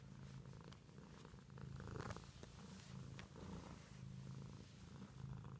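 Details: Domestic cat purring steadily, a low continuous rumble pulsing in slow breathing cycles roughly every second, with faint clicks and brief rustles above it.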